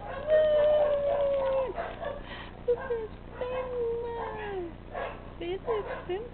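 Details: Pusslin, a playful tabby kitten, meows during play: a drawn-out, level mewing call over a second long that dips at the end, then shorter arched mews, with human voices talking in the background.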